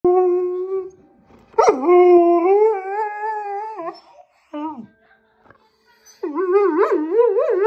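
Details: Siberian husky howling beside a baby on a grey blanket on a bed: long sustained, slightly wavering howls, a short falling yelp, then a strongly warbling howl rising and falling in pitch.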